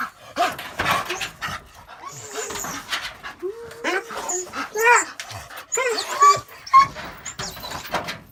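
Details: One of two village neighbour dogs, big fluffy Zhuzha and small Malysh, "talking" to a person who feeds them: warbling, whine-like grumbles that rise and fall in short bursts, mixed with human speech throughout.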